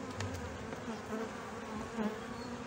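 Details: Colony of honey bees buzzing in Brno in 2022, beside a bitten-open inserted queen cell, their own queen cell having hatched earlier; an even, low droning hum holds for the whole stretch with little change.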